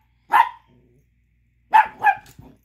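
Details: An angry Chihuahua pup gives sharp, high yappy barks, one alone and then a quick pair, because another dog is chewing a tiny bone he wants.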